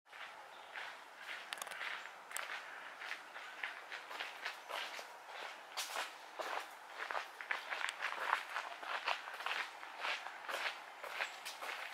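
Crunchy footsteps on gravel or dry leaves, about two per second, with no clear animal voice.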